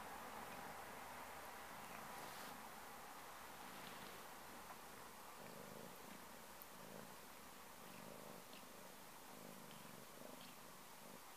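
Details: Steady cat purring with an even rapid pulse of nearly four beats per second, a continuous low rumble over a constant hiss.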